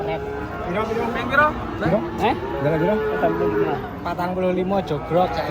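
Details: Giant cattle unloading from a truck, with several overlapping lowing moos, harmonic and wavering, rising and falling over each other amid human voices and background commotion.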